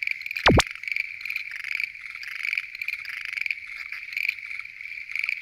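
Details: Schlegel's green tree frogs calling together at night at a lotus pond. A thick chorus of rapid, pulsed croaks continues throughout, with one sharp sweeping noise near the start.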